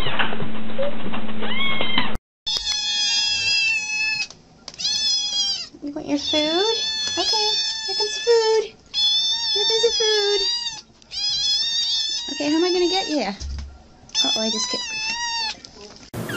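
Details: Kittens meowing insistently, roughly one call a second, each a loud harmonic wail with wavering pitch, some overlapping; a brief burst of other sound at the start before the calls begin, indoors.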